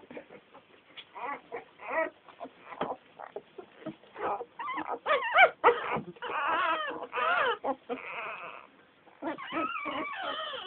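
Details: Litter of ten American Staffordshire Terrier puppies whimpering and yipping together, overlapping high squeaky cries with wavering pitch, dense and nearly continuous, several callers at once.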